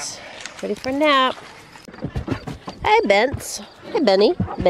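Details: Six-week-old Great Dane puppies protesting their first bath: short, high, arched whining yelps that rise then fall, repeated in bursts, with human voices talking over them.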